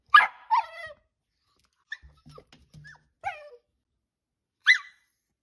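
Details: Dachshund, a pet sausage dog, giving sharp high-pitched yips and short harmonic barks, with a brief whine, in scattered bursts separated by quiet gaps and faint low thumps.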